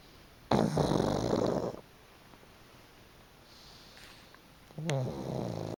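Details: Pug named Chicchi, asleep on a freshly aired futon, gives two loud rough snores, one long and one starting near the end, separated by quiet soft breathing.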